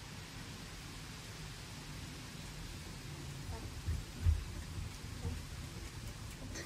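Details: Low rumbling room background with faint muffled thumps and one louder bump just past the middle.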